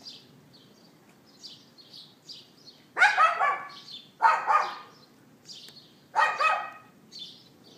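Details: A neighbour's dog left outside barks in three loud, harsh bursts about a second apart, recorded on an iPhone 4S on April 18th 2012 at 11:31 AM; small birds chirp faintly throughout.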